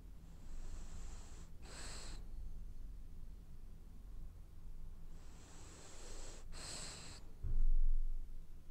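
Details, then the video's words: Sleeping French Bulldog dreaming as it snores: two breathy, wheezing snore cycles roughly five seconds apart, each ending in a short snorting catch, with a dull thump near the end against a low room hum. "Snoring French bulldog has dreams"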